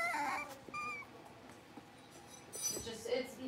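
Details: Blenheim Cavalier King Charles Spaniel puppies, a litter of five born on New Year's, newly moved into a larger indoor pen: a high, harmonic-rich whine near the start, a second thin whimper, then rising squeaky cries at the end.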